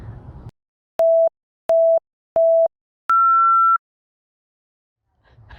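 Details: No animal sound is heard, only three short electronic beeps followed by a longer higher tone, with brief low noise at the start and end.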